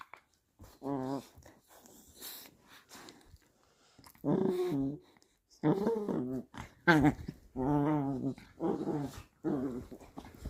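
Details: Chihuahua Jack Russell cross dog growling while playing indoors in a small room; repeated throaty, wavering growls with a pulsing harmonic tone, bursts of about half a second to one second separated by short pauses, a few soft whimpers between.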